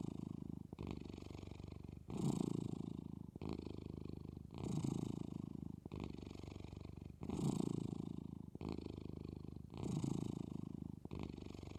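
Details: Female Maine Coon drifting into sleep keeps a soft motor-like purr going, a low throbbing drone rising and falling with every inhale and exhale at a regular, unhurried pace.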